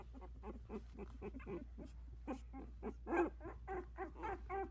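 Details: Sixteen-day-old Havanese puppies, four brothers and sisters wobbling on new legs in their whelping box. Short, nasal squeaks repeat roughly twice a second, with one louder yelp near the end, over a low background hum.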